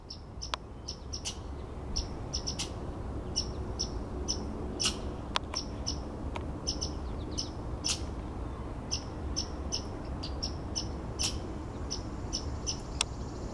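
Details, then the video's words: Red squirrel outside a window in the morning, making a harsh noise: sharp clicking chucks mixed with short, thin, high squeaks. They repeat irregularly about twice a second over a steady low rumble. "Red Squirrel glitching"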